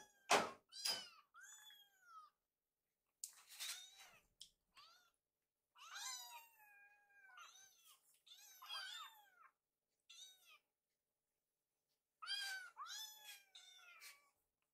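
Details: Several hungry rescue kittens call while their meal is prepared, clusters of overlapping high meows with pauses, plus a couple of sharp knocks near the start.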